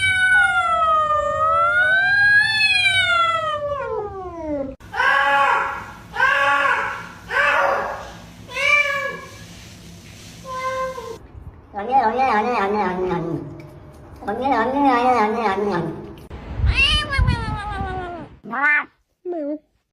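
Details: Cat producing strange sounds: one very long, slowly wavering meow lasting about four seconds, then a series of short, pulsing meows and rising-falling yowls, ending with two brief squeaks.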